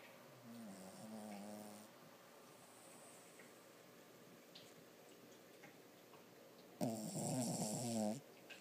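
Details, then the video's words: Two harmonic, wavering snores from Toby, a dreaming six-month-old Lhasa Apso puppy; the first is softer, the second louder and rougher near the end, separated by about five seconds of quiet breathing. "puppy snoring and dreaming so cute"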